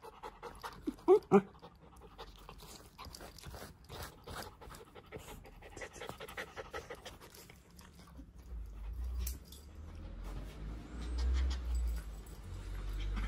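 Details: Nong, a brown female Shiba Inu born in 2015, in Japan, gives a few sharp, loud whines, then pants rapidly and rhythmically, intensely jealous of Shiro, a calm white female Shiba Inu.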